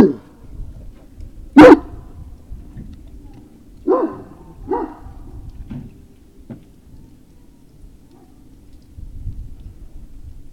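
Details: Great Dane puppies at an evening recording, around 19:45 on 19 February 2019, giving a sharp loud bark, then two shorter softer barks about a second apart and a few faint yelps, with low rumbling noise between.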